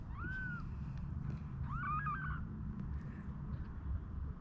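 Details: One-day-old newborn kittens, rescued from an unprotected outdoor cage and brought indoors with their mother ahead of a snowstorm, give two short high mews, the second longer and wavering, over a low rumbling background.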